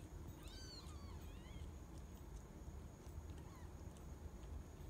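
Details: Newborn kittens of the rescued cat Mercury, between 4 and 11 days old, crying with high, wavering mews, several close together early and then a lone shorter one, against a constant low background hum.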